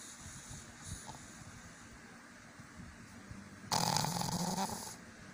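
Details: Sleeping pug snoring: a low, quiet rumble of breathing, then one loud, harsh, rasping snore lasting about a second before it fades back to soft breaths.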